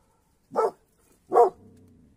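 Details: Mountain Cur giving two quick, punchy barks less than a second apart, followed by a faint low rumble.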